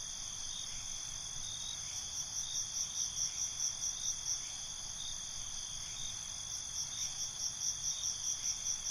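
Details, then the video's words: Crickets at night in binaural recording, a persistent high shrill trill with repeated pulsing chirps about two to three per second, pausing briefly midway before resuming. "Night ambience, Cricket Conversations"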